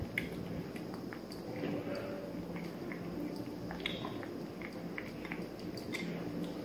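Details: Three-month-old Maine Coon Persian mix kitten named Kosey eating: a continuous run of moist smacking and small chewing clicks, irregular and close, above a faint low indoor hum.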